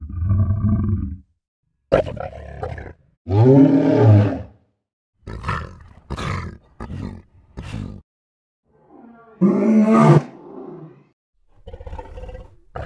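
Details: Lion giving a string of short, choppy vocalisations: deep, rumbling harmonic moans and growls alternating with harsh, breathy bursts, separated by abrupt silences, with a louder roaring groan near the middle and again toward the end.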